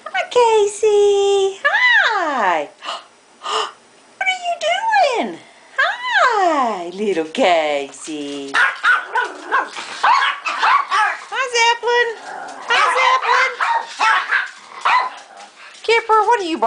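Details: Several household pets in a room, among them Zoe, Casey, Kipper and Zeppelin, give high arching yips and whining yelps, rising and falling in pitch, over and over, while a person keeps greeting them by name.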